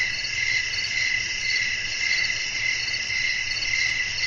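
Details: Night chorus of crickets with blowing wind: a thick, continuous high-pitched shimmer, with softer chirp pulses recurring about every half second blended into the steady hum.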